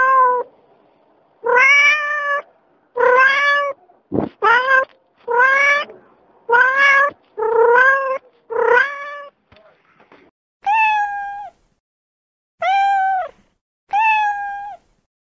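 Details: Cats and kittens in California meowing non stop, a rapid series of about eleven rising-then-falling meows, the later ones higher and clearer, with a brief thump near the middle.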